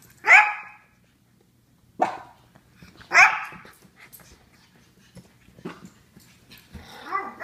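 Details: Several Japanese Chins bark: two loud sharp barks about three seconds apart, with quieter scattered yaps and rustling in between and a closing softer whine-like bark.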